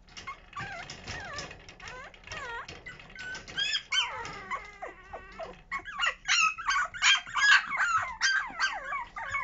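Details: Puppies born at home, just starting toilet training, giving high wavering whines and squeaky yelps, some long sliding cries, growing louder and more crowded toward the end as calls overlap.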